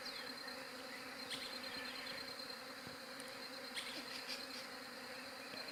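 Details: Low, unwavering bee drone recorded on a Galaxy J7 Prime 2 phone, with quick high bird chips and twitters scattered over the humming.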